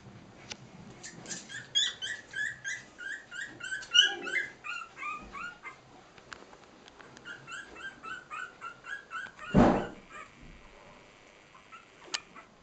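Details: Three-week-old Cairn Terrier puppies at play, several voices making high, thin squeaks and whimpers in quick overlapping bursts, with a louder thump partway through and a small indoor room feel.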